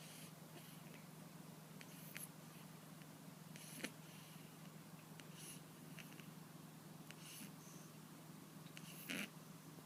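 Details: Snoring house cat, asleep while suffering from a persistent cold; hushed rasping breath sounds repeat at roughly two-second intervals, with one louder snort near the end, over a steady low background hum.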